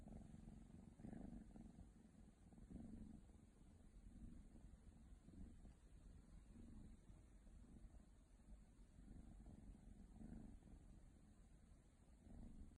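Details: Purring from a baby female Ragdoll kitten: a soft, grainy low rumble with gentle swells, quieter and less regular than a strong purr, over faint background hiss.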